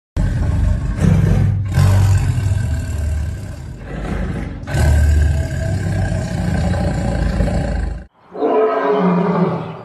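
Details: Tiger fighting another tiger, with deep, loud, rumbling roars and growls in long overlapping bursts, a brief silence near the end, then a harsher snarling roar.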